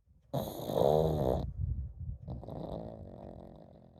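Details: Pug named Komame, asleep and snoring continuously; one loud, harsh, rattling snore of about a second, then a quieter drawn-out nasal breath that fades away.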